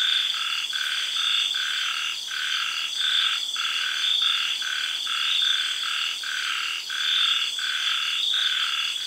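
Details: At night in a Thai tropical garden after the early rains, frogs give short croaks at uneven intervals, set against a bright, continuous chorus of cicadas and other insects.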